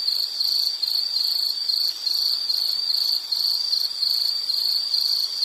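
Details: Short passage of a piercing insect call: evenly pulsed high-pitched chirps at roughly two per second, with slight swells in loudness, set against a soft, otherwise empty background.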